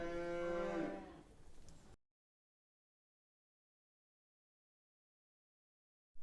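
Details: A single dairy cow moo, a short harmonic lowing call about two seconds long, followed by silence.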